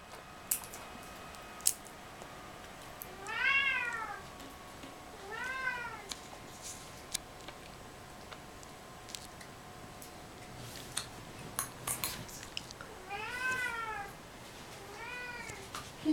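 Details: Kissel the cat, a domestic cat shown with suppressed sexuality, giving four drawn-out arched meows, two close together near the start and two near the end, with faint clicks and room noise between.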